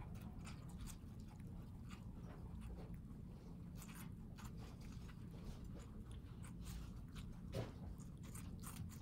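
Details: Pet guinea pigs, housepigs of New York City, eating watermelon indoors; a steady run of sharp, crisp crunches and wet chewing clicks repeats quickly throughout, over a low, dull room rumble.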